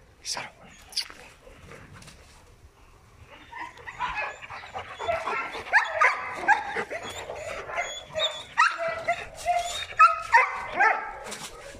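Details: Protection dogs, a Presa Canario and a Malinois, start quietly, then break into a run of short, harmonic, yelping barks and whines repeated about twice a second, with a person talking over them.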